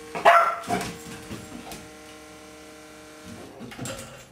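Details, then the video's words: Labrador Retriever puppy barking at a vibrating cellphone in a small room; one sharp high yap opens, followed by softer short yips, while the phone's steady buzzing hum continues underneath. "Lab puppy vs vibrating cellphone"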